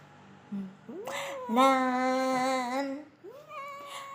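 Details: A munchkin cat gives a drawn-out, steady meow lasting over a second, preceded by short rising chirps and followed by a softer rising mew, with faint voices around.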